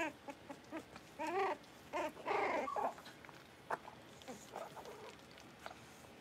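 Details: Blenheim Cavalier King Charles Spaniel puppies, a litter of five born at New Year's, in a home puppy pen, learning to bark and howl while playing; a few short, wavering, harmonic whines and yelps in separate bursts, with quiet gaps and faint clicks.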